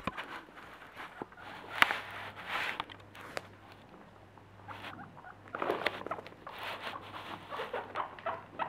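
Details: Happy pet guinea pigs, Terttu, Kerttu, Mitzee and Lydia, make soft, clicky chattering in two bouts of quick pulses, one early and one late, with quieter rustling and scuffling between them.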